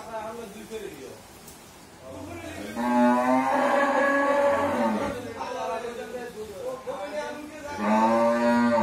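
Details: Mundi breed cow, nine months pregnant before her first calving, at a dairy farm in Bhangura, Pabna, Bangladesh, gives a long loud droning moo lasting about two seconds, then a second strong moo begins near the end.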